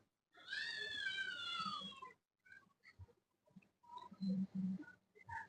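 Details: Female domestic cat giving one long, drawn-out meow that slides downward over about two seconds, followed by soft scattered sounds and a man's voice speaking.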